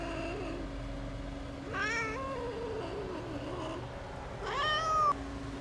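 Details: A kitten abandoned in freezing snow at -11°C for two days and then rescued gives two drawn-out, wavering meows a few seconds apart over a steady low electrical hum.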